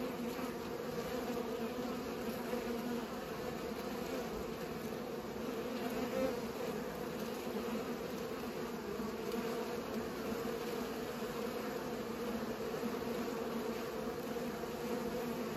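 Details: Bees busy pollinating produce an unbroken, level hum, low and resonant with a higher overtone, sustained for the whole length with only slight swells.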